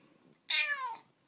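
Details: A Bengal cat, which loves licking water off its owner's freshly washed hair, gives a single half-second meow, bright and harmonic, sliding downward in pitch.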